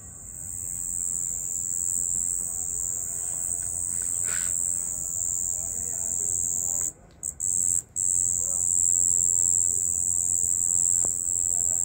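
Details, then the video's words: Crickets at night: a steady, very high-pitched shrill trill runs almost unbroken, dropping out briefly twice around the seventh and eighth seconds before resuming at full strength. "Night Cricket Sound"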